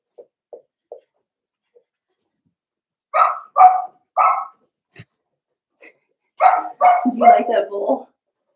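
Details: Blenheim Cavalier King Charles Spaniel puppies from a litter of five in an indoor puppy pen give short, sharp yapping barks in two bursts of three to four, with faint soft sounds before them.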